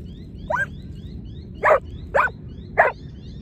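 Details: Giant Schnauzer barking during lure training: one higher yelp followed by three sharp, loud barks spaced about half a second apart, over steady low background rumble and faint repeated high chirps.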